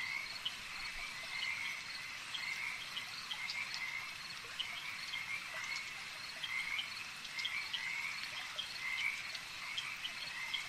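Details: Many frogs calling together at a lake, their high, rattling trills blending into a steady drone, with brighter chirping phrases standing out roughly every second.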